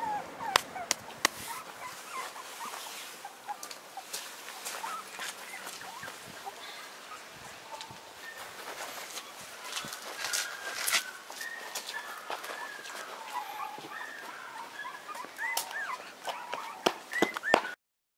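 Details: A male Pomeranian puppy, born March 28 as the only pup of his litter, makes thin, high squeaking whimpers, short and scattered, some rising or bending in pitch, amid soft clicks, bumps and rustling handling noises.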